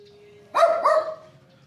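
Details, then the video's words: Small dog barking on a rooftop in an abandoned mining town in China: two quick yapping barks with bright harmonic tones, the second following closely, over a faint steady hum. "Con chó nhỏ đó đang sủa trên mái nhà."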